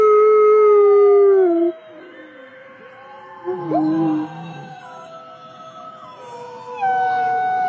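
Wolves howl in long, steady tones that slide slowly downward, with several voices overlapping.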